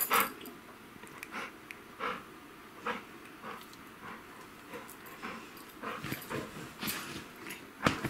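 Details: Quiet, rhythmic breathy panting from a male golden retriever settled on a bed at bedtime after zoomies, soft huffs recurring roughly every second in a small indoor room.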